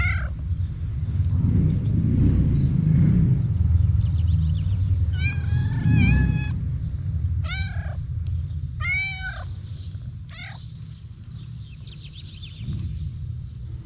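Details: Homeless cats fed daily on a street in Morocco meow at their feeder's arrival; after a low rumbling outdoor din, sharp, short arched meows burst out several times in quick succession, then fade.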